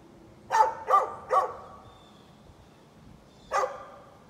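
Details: Neighbour's dog on 13 November 2020 letting out a rapid burst of three rough barks, then a pause of about two seconds before one final bark.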